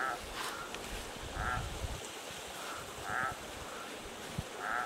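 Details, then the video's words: Frog at night at a desert canyon creek near a remote camp, giving brief bleating notes in a slow series, louder notes alternating with softer ones, over a steady background hiss and low rumble. "Frog Song"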